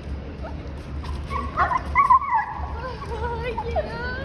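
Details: Bernese Mountain Dog Bernadette at an airport, excited on recognizing her owner returning after a week away, gives thin wavering whimpers that rise and fall over a steady low hum, with voices nearby.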